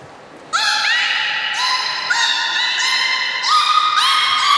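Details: Beluga whale at Port of Nagoya Public Aquarium, Japan, 30 March 2019, during a fish feeding and later play: loud, continuous harmonic whistles, each new note starting with a quick rising sweep, overlapping steadily for several seconds.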